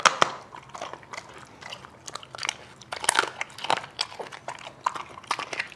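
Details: Dog eating with a big appetite: a sharp bite opens, then scattered crisp crunches and chewing clicks follow in irregular bursts to the end.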